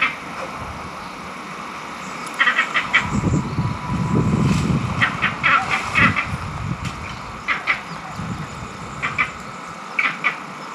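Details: Green monkeys in Barbados calling angrily, possibly over mango trees or rank within their troop: short harsh clustered barks in repeated bursts every second or two, over a low rumbling background.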